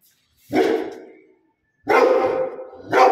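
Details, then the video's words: Rottweiler barking in loud, deep, drawn-out barks, two long rough ones about a second apart with a third starting at the end; nothing else audible between them. "Rottweiler Dog barking"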